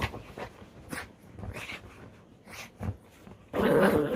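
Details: Pet dog in good spirits after a bath and a short walk, shaking and rubbing to dry its fur: low grumbling and snorting bursts, rustling, then a loud rushing burst of shaking noise.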